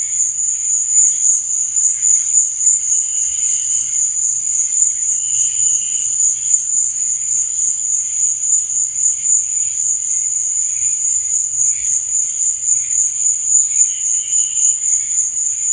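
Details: Crickets chirping at night, an even, high, ringing trill lasting the whole stretch, with brief weaker chirps scattered across the background.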